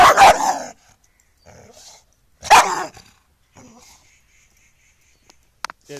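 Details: Angry street dog letting out two sharp, explosive barks about two seconds apart, with softer whimpering sounds in the quiet gaps and a couple of faint clicks near the end.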